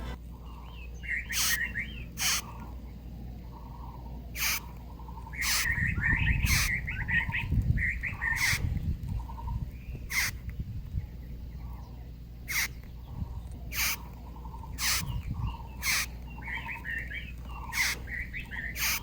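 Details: Large bess beetle found indoors flipped on its back, chirping as though calling for help: sharp broadband squeaks at irregular intervals, roughly one per second or two, with soft bird chirps and faint rustling behind.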